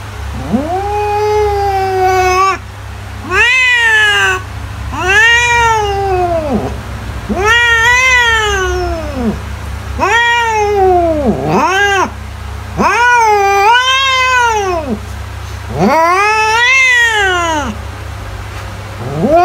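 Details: Repeated domestic cat meows used as a mouse repellent: eight long wailing calls, rising, holding and falling, coming roughly every two seconds, some with a wavering, strained quality, above a continuous low hum.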